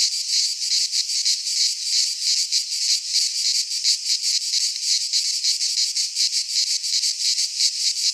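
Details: Shrill cicada chorus from a Greek pine forest in midsummer: a loud, high buzzing wall of sound pulsing in even beats about three times a second, with no other sounds.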